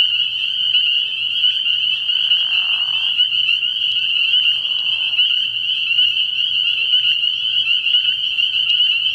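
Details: Many spring peepers chorus after dark at an early-season frog pond, their high peeps merging into one unbroken shrill band. Softer, lower rasping bursts appear around two to three seconds and again near five seconds.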